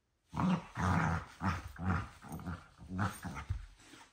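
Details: Bedtime play between two dogs: low, throaty growls pulse about twice a second in a steady rumbling series that fades toward the end.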